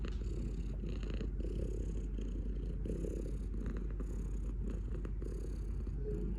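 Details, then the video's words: Cat giving a continuous low, vibrating purr, deep and even, with the breathing rhythm faintly audible and a few light scratchy noises. "Cat purring"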